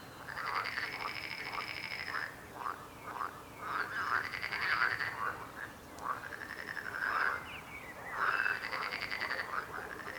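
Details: Frogs croaking in a dense chorus: overlapping rasping, pulsed croaks in swelling bursts every second or two, some arched and rising-falling, with a faint higher tone above and a steady hiss beneath.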